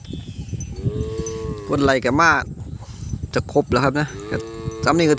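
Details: Calves separated from their mothers bawl together, overlapping harmonic cries that rise and fall, some drawn out and level, others wavering, several calves calling at once with faint chiming in the background.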